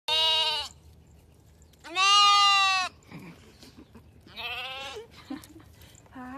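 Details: Baby lamb, a young female, bleating in three loud wavering calls with pauses between, then a short fourth bleat at the end; a woman speaks softly to it between calls.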